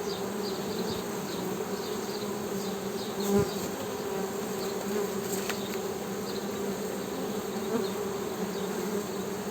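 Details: Steady buzzing hum of Western honey bees, a low continuous drone holding level, broken by a brief click near the middle and faint repeated high chirps in the background.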